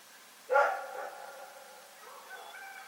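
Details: Night-time bark from Rex, a dog in Pyrga: one loud, sharp bark with a short echoing tail, followed by faint fluctuating tones and low background noise.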